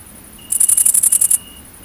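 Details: Great green bush-cricket (Tettigonia viridissima) in countryside of central France, 22 August 2016, around mating: a brief, very high, rapidly pulsed stridulation burst.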